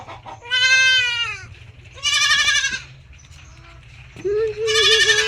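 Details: Bleating from kept goats: three strong, drawn-out bleats, the first falling slightly in pitch and the last lower and more level, separated by quieter gaps with faint background murmur and a low hum.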